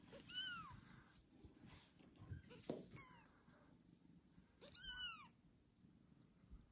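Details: Newborn kitten just after birth, meowing: two thin, high, harmonic-rich mews with a falling arch, one near the start and one around five seconds, separated by soft rustling and faint lower cries in a quiet indoor setting.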